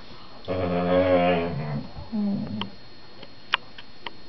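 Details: At home on the sofa, a whippet plays with his four-month-old sister and talks to her: one long, low, harmonic growl-moan, then a brief deeper grumble, followed by light taps and clicks from movement.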